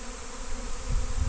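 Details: Honey bee swarm coming in at a friend's house in Destin on Good Friday 2025, at a swarm trap; an unbroken droning buzz, growing slightly louder with a deep rumbling at the end.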